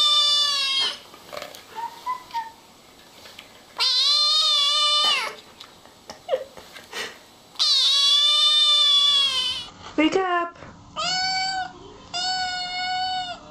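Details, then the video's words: Young kittens crying: long, loud, strained meows with many harmonics, repeated every few seconds, separated by short softer squeaks and a brief clatter. "Küçük (bebek) kedilerden dikkat çekici sesler"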